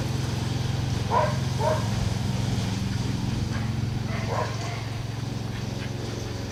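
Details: Dog named Liz barking while herding a lawn mower: a few short barks around one and a half seconds and again near four seconds over the steady low drone of the running mower engine.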